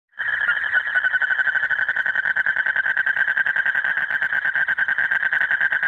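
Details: Male Asian common toad calling nonstop late at night in breeding season to draw a mate near: a dense, steady trill of rapid buzzy pulses, held unbroken for about six seconds after a sudden start.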